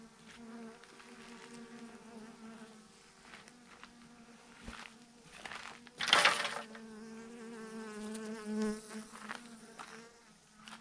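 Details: Thousands of honey bees hanging in a swarm on a branch hum in a dense, even drone with wavering overtones; a loud, brief rustling burst interrupts midway before the buzz continues.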